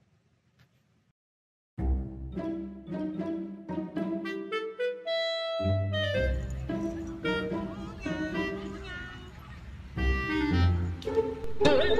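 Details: Upbeat instrumental music with plucked strings, bass and bright melodic notes begins after a short near-silent opening, with faint voices underneath; no animal calls stand out.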